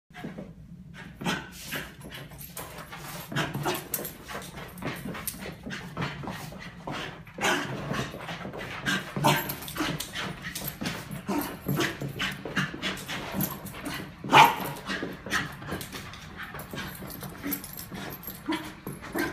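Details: Pet Lakeland Terrier, excited as its owner walks back into the room, giving breathy panting and soft whimpering snuffles throughout, with scattered brief sharp squeaks, in an indoor setting.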